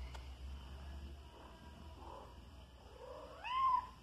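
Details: A five-month-old house kitten that hunts flying insects gives a soft murmur midway, then a clear rising and falling meow near the end over a quiet low hum.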